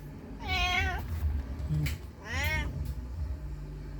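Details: A mother cat searches for her missing kitten, giving two clear, plaintive meows about two seconds apart, the second sliding upward then down, against a constant low droning background.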